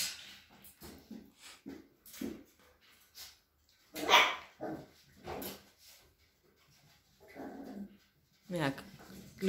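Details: Cavalier King Charles Spaniels at a breeder's home in the Sierra de Madrid, Spain; sharp barks and yaps break through a woman's steady talking, one loud bark near the middle and another near the end.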